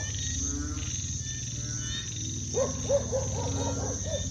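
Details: Frogs calling at night in a village after sunset, countryside ambience: a run of quick, repeated croaking pulses in the second half over a steady low drone and a continuous high shrill insect-like hum.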